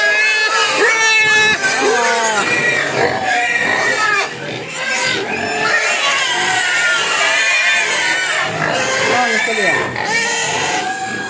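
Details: Hungry pigs crying for food: loud, piercing harmonic squeals, many sliding up or bending down, repeated several times a second among overlapping grunts, with a human voice briefly mixed in.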